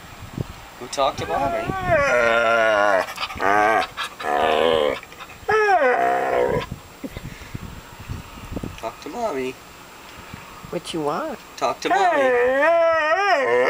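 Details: Whippet at home telling its owners it's time to go to the dog park, giving drawn-out, wavering, yodel-like whines and howls in bursts, with a person talking over and between them.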